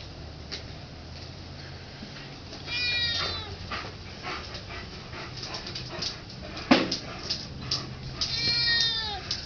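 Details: Pet cat begging for turkey, letting out two bright meows about six seconds apart, each arching up then sliding down, amid clicks, small knocks and household noise.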